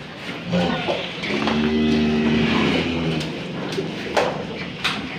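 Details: Moo from an old, stubborn cow while a rope is fitted through its nose: a low, steady, droning bellow held nearly two seconds, then clattering and knocks of handling.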